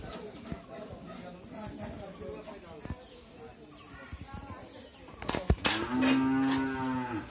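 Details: Holstein Friesian cow, nine months pregnant and due to calve for the second time, raised by a family on a dairy farm in Bhangura, Pabna, Bangladesh. A loud, steady, low droning moo fills the last two seconds after faint voices and farmyard noise.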